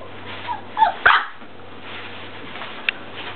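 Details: English Mastiff puppies, four weeks old, indoors: a couple of short high yelps close together, then a faint squeak, over a low steady background hum.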